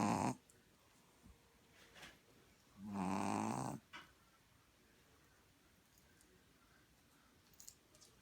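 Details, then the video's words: Asleep puppy Gronkowski gives one strong, rough snore of about a second after the tail of another, followed by quiet breathing, a soft snuffle and a faint click. "Gronkowski the puppy snoring loud"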